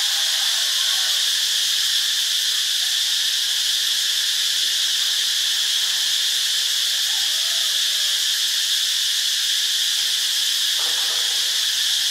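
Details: Steady wall of cicada sound from Ubon Ratchathani, Thailand: high, sizzling, unvarying buzz sustained throughout, with a faint brief click near the end under the constant insect drone.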